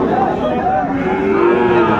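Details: Cattle with many calves being moved, mooing in a long, steady, tonal low call lasting about two seconds with clear harmonic bands, overlapping moos from several animals.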